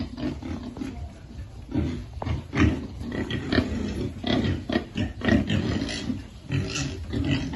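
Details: Several piglets at feeding time, grunting in deep, rough bursts that crowd together, with a few louder snorts standing out.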